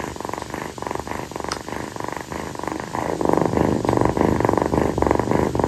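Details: Rescued female calico kitten purring steadily while lying on its owner's feet on a hot night after play. The rumbling purr pulses about three to four times per second, with rhythmic swelling and easing and a quiet indoor background.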